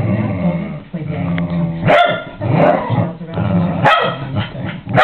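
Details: A ten-year-old pet dog, still as lively as a puppy, lets out loud, harsh barks near the second and fourth seconds over a continuous low, growling rumble.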